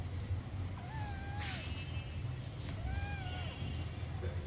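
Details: Kittens and cat at play, fighting in a garden outdoors: a pair of long meows, the first gently falling, the second wavering, set against a constant low-pitched engine-like rumble.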